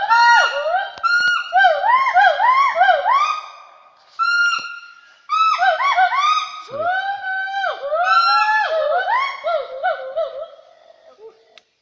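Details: Wild gibbons active in Hollongapar Reserve Forest, Assam, India, giving loud, ringing whooped notes that each rise, then dip, repeated quickly in rich, tonal bouts, with brief gaps near four and five seconds before the calling resumes and fades.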